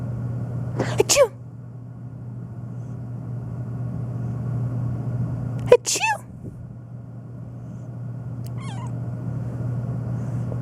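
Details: Black domestic cat meowing nonstop, reacting to sneezing; a few short, wavering meows spaced several seconds apart, the last one faint, over a steady low mechanical hum.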